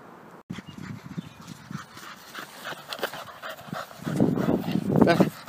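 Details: Penny, a rescue pit bull terrier obsessed with soccer, plays and dribbles a ball. Quick breathy pants come about four times a second, then a louder voiced stretch near the end as a person calls her name.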